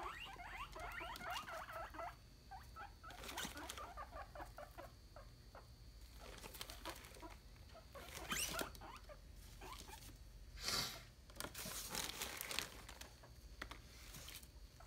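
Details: Guinea pig alarm call, its sound likened to "51515151": rapid runs of short, squeaky repeated pulses in two bursts early on, followed by scattered loud rustling and clattering thumps indoors.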